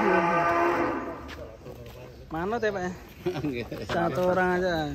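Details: A loud, steady moo opens this stretch from a fat cow at GST Farm, holding one even pitch for about a second, before people speak over the rest.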